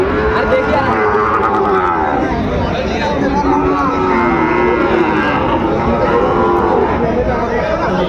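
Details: Sahiwal bull calves at a cattle market in Chattogram, Bangladesh, on 24 October 2025; several drawn-out, harmonic moos rise and fall over constant crowd chatter and loud human talk throughout.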